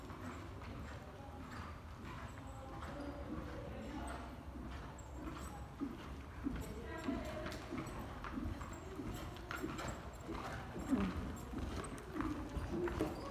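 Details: Hooves of Qoffee, a Belgian Warmblood (2016), land in slow, irregular dull clops across the recording, with a constant low-frequency background hum and occasional voices.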